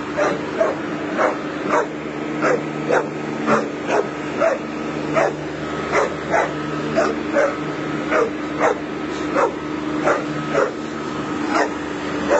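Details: A Bull Terrier, trying to intimidate a lawnmower, barks sharply in a steady rhythm, about twice a second, over the droning lawnmower engine.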